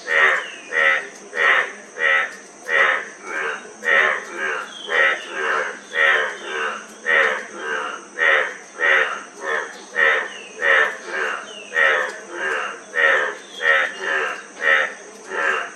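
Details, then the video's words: A frog calling persistently with coarse, buzzy croaks repeated in a long regular run, about one every half second, while a quiet high drone continues behind them. "Frog Sound--Frog Sound Effect 15 min"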